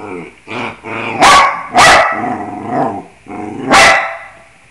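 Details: Singing along to the scales, Bruno the dog mixes harmonic, moaning howl notes with three loud explosive barks roughly a second or two apart.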